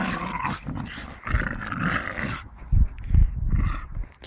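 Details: Playing with a tyre, a Staffordshire bull terrier growls roughly for a couple of seconds, then comes a series of heavy low thumps and short bursts of rumbling.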